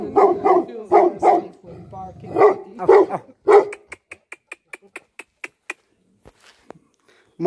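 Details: Nepalese guardian dog, Tibetan Mastiff (Bhote Kukur), letting out a run of heavy, harsh barks over three and a half seconds, followed by a steady train of sharp clicking ticks and near quiet.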